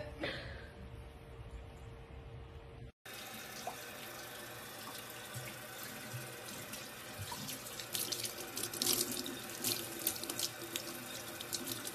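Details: Water gushes from a tap into a sink after a short quieter opening, with splashing building toward the end and no animal calls.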